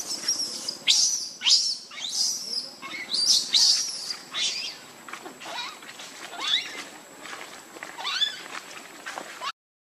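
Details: Lucie, a baby monkey wanting milk, gives piercing high screams in rapid runs at first, then thinner, upward-sliding wails that fade toward the end.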